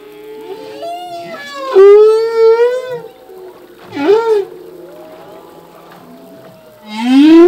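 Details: Singing male humpback whale at sea: a loud upswept cry followed by a sustained wavering moan, a brief dipping whoop at four seconds, then a strong rising wail building at the end.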